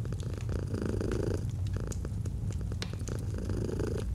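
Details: Steady low purr of a domestic cat, rising and falling with each breath, mixed with sharp crackles and snaps from a fireplace.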